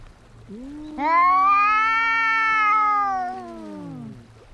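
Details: A fighting cat gives one sustained, tense yowl lasting about three seconds, rising sharply at the start, holding a strained level pitch, then sliding down and fading, with a faint low hum behind it.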